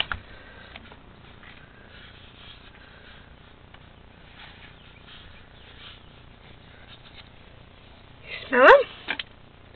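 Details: Melvin, a pet cat, at a bedroom window meeting an outside cat named Garfield: after quiet background, one short harmonic meow that rises and then falls near the end, with a woman speaking softly.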